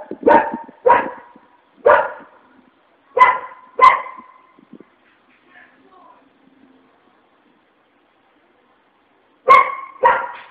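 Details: Furious dog giving sharp, harmonic barks in a quick run of five, falling silent for several seconds, then two more abrupt barks close together near the end.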